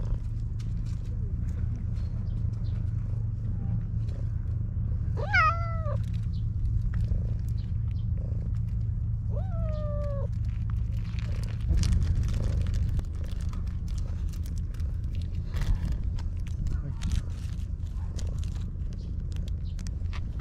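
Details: Maro, a stray park cat, meows sweetly for affection while being stroked: two separate short meows several seconds apart, each rising then dipping, over low steady background noise.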